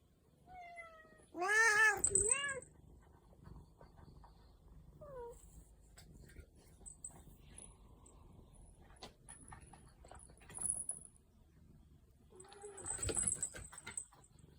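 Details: Domestic cat playing on a cat tower; a loud, wavering meow with rising and falling harmonics near two seconds, a short falling mew around five seconds, then a fainter meow near thirteen seconds amid soft thumps and scratching.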